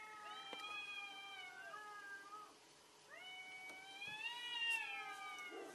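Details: Fighting cats, fierce: two drawn-out, tonal yowls, the first sliding gently downward and breaking off, then after a brief pause a second that swells, rises slightly and holds strong to the end.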